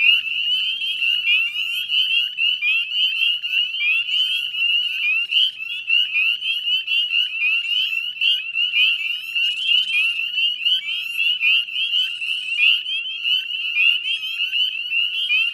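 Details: Many Northern Spring Peepers in full chorus at dusk, 18 May 2020, beside a salt marsh in Nova Scotia, Canada; high clear upward-sliding peeps repeat rapidly from countless callers, merging into one constant shrill sheet of sound.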